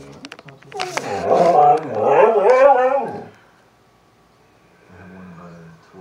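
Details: Siberian Husky, upset that its owner leaves for work, letting out a wavering, modulated talking howl in two swells over about three seconds indoors, preceded by clicks and followed by quiet and faint murmuring.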